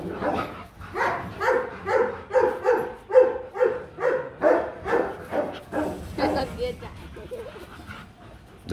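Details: Rottweilers Marvin Gervi and Kacyno Gervi at a mating session in Hanoi, Vietnam, as the male courts a reluctant female; a dog whines in a steady run of tonal, nasal cries, about two each second, fading near the end.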